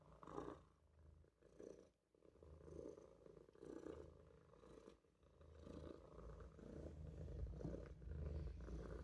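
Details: Quiet purring from Olof the Maine Coon kitten as he dozes in a sink: soft rumbling bursts rise and fall roughly once a second, with brief pauses between breaths.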